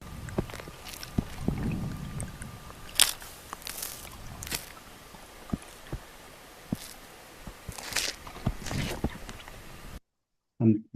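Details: Transient killer whales in British Columbia's inshore waters make sharp, irregular cracks and crunches, killing, ramming and crushing sounds, as they tear apart and feed on a marine mammal after a kill.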